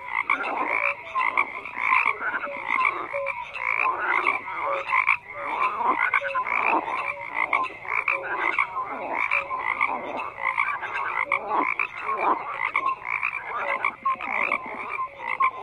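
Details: Loud, continuous frog chorus: many callers giving rough pulsed croaks and short piping notes that overlap densely, rising and falling in bursts.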